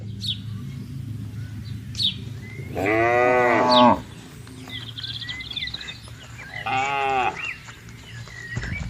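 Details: Tame cattle herd grazing on green pasture on a peaceful morning; two drawn-out harmonic moos, one near three seconds and another near seven, over a low rural hum with faint bird chirps between them.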